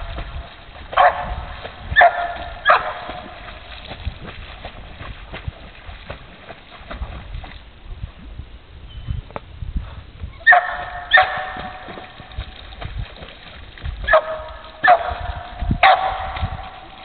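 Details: A female dog swimming and barking at the same time: bursts of two or three sharp barks separated by quieter stretches of paddling and splashing water.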